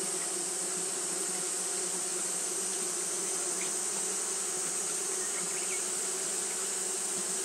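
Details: On a hot day, Japanese honey bees keep up their fanning behaviour. The result is an unbroken low hum, overlaid by a continuous shrill high band that never fades.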